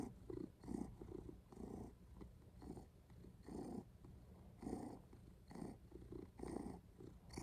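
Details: Close, continuous purring from a cat, a low grainy rumble rising and falling with the breath roughly every second, with soft breathy bursts above it.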